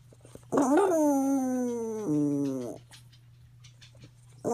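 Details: Female pet dog howling or singing oddly after her medication was increased, indoors; one long harmonic-rich howl that jumps up sharply, then slides slowly downward for about two seconds, breaks, and continues briefly before stopping.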